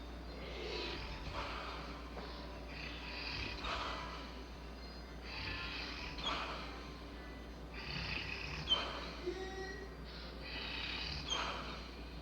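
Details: Bella, a Labrador Retriever, asleep and snoring: soft breathy, hissing rasps repeat roughly every two to three seconds, with noisy airy bursts and no other clear sounds.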